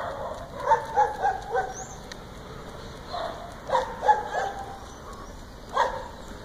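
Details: Kuvasz named Milka barking during a training session: a quick run of four short, tonal barks, then a pair a few seconds later and one more near the end, over a steady high background hum.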